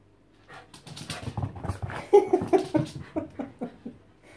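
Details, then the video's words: Tibetan Terrier named Lhotse, a female, protesting indoors at being given a worming tablet: a run of short whiny whimpers and yelps, about two or three a second, rising and falling, with a person coaxing her just before. "Tibetan Terrier says no, no and thrice times no to taking her worming tablet."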